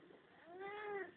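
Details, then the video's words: Sleepy pet cat near a heater at night, annoyed at being disturbed, phone recording. A longer, low, moaning meow, gently arching in pitch and lasting over half a second, against steady background hiss. "Funny cat talking"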